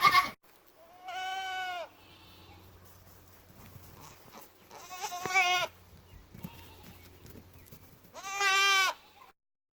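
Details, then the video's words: Young male goat, a buckling, making funny sounds: three long, wavering, nasal bleats spaced about three to four seconds apart, with a low hum and faint background noise between them. "Buckling making funny sounds"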